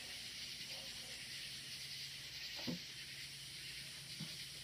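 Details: Loud crickets at night outdoors, up in the woods: a dense, steady high hiss-like chorus with no breaks, a faint low hum beneath and a couple of brief soft knocks.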